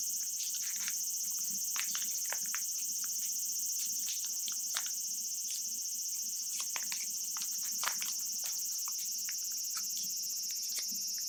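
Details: Japanese cicadas in summer, recorded in Japan: a steady, shrill, high buzzing drone that runs unbroken through the whole stretch, overlaid with frequent sharp clicks and crisp rustling.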